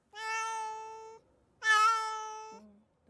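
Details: Kuro-chan, a black male pet cat weighing 4.35 kg, unwell and not eating for two days, before a vet visit: two long, drawn-out meows, each about a second, the second louder and wavering, in a quiet room.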